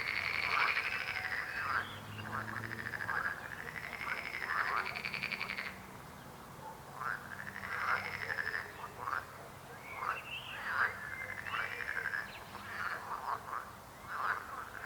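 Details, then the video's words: Croaking frogs: arched, rolling croaks repeat in fast overlapping series over a buzzy trill, then a short lull, followed by scattered choppy croaks and renewed bursts toward the end. "Rechot żab. Croaking frog sound."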